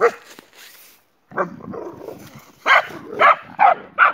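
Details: German Boxer named Jessie, joined by her friend Spike: a muffled, scuffling stretch with short bark-like bursts, ending in four clear, loud barks at a steady pace.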